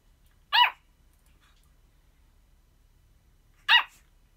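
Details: Pomeranian. A Pomeranian barks twice, each a brief, bright yap with a slight downward slide. The barks come roughly three seconds apart in a quiet room.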